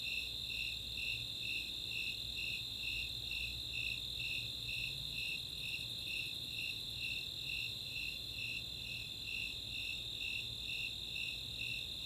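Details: Summer nighttime chorus of Snowy Tree Crickets with Four-spotted Tree Crickets, open space at Chautauqua, Boulder, Colorado; evenly paced high chirps, roughly two per second, layered on an unbroken shrill trill.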